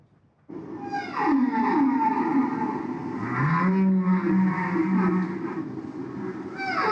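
Humpback whale vocalizing with long, sweeping moans that slide down in pitch, then a steady low tone.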